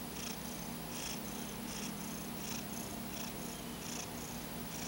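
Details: Paco, a domestic cat, dozing in the afternoon with a paw covering his eyes, snores in soft rhythmic hissing breaths close together, steady and even against a faint indoor hum.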